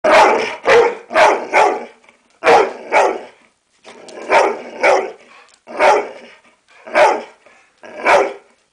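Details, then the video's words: American Staffordshire Terrier barking on command: loud, sharp barks in pairs and triples, nine to ten barks in quick bursts separated by brief pauses. "amstaff barking"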